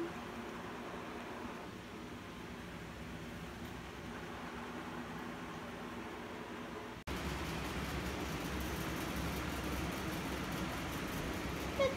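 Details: Steady mechanical hum like a fan or distant traffic, jumping abruptly louder about seven seconds in, with no animal calls.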